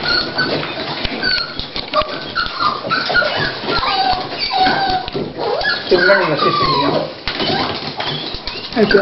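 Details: Female Toy Pinscher Dolly whines as labour begins, indoors before her puppies are born: a run of arching, squealing whimpers that bend up and down in pitch, closely spaced, while a person talks quietly nearby.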